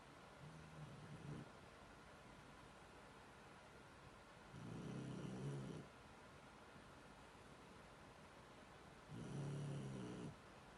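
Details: Sleeping Shar Pei snoring: three long, low, rumbling breaths, each lasting about a second, spaced roughly four to five seconds apart over a steady indoor hiss.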